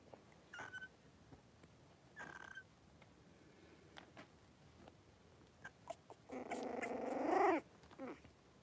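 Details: Five three-week-old blenheim Cavalier King Charles Spaniel puppies wrestle and play indoors in a home puppy pen. Scattered soft squeaks come first, then a longer rising and falling harmonic whine or yelp near the end.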